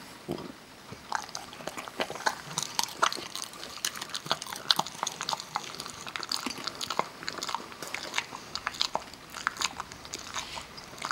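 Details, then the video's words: Parker, a Kerry Beagle, eats almonds indoors in a small room. Crisp, irregular crunches and bites follow each other quickly through the whole stretch, with short pauses between bursts of chewing. "kerry beagle eating almonds"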